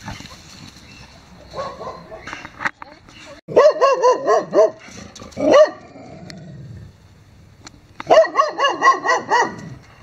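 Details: Neighbour's dogs barking in quick bursts: a cluster of four or five yelping barks, a single louder bark, a pause, then another fast series of five or six ringing barks, with faint voices in the background.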